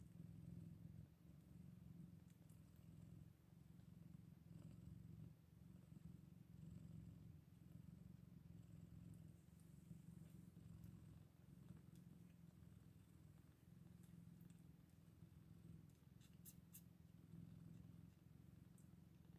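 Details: Scottish Fold kittens eight days after birth; a low, steady rumbling purr runs the whole time, pulsing in soft waves, with faint high clicks and rustles near the end.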